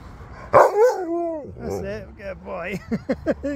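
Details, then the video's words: Groomed Husky that woke and tried to fight keeps vocalizing: a strong yelp, a drawn-out wavering howl, then a run of quick bending woo and yip notes, mixed with a person's encouraging voice. "Husky Woke As I Was Doing It And Tried To Fight Me!"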